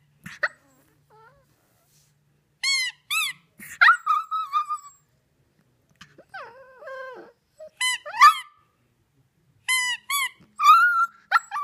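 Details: Maddie, a three-month-old Shih Tzu puppy, howls at a squeaky toy: high, wavering whines and drawn-out yowls come in short bursts between sharp, stacked toy squeaks, with quiet pauses.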